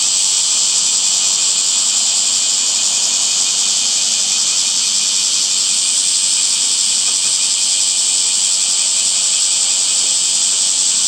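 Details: Cicadas calling in summer: a dense, unbroken high-pitched hiss that holds steady and loud for the whole stretch, with a faint shimmering pulse inside the drone and no other clear sounds.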